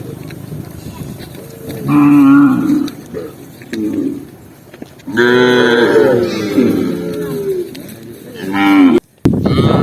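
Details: A tame cow on a walk across green forest, lowing in three clear bouts: a short moo near two seconds, a long wavering one from five to seven seconds, and a brief call just before a sudden break near the end.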